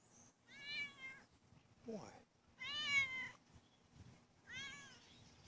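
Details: Female pet cat greeting her owner returning home from work: three drawn-out, slightly wavering meows about two seconds apart, with a brief chirp between the first two.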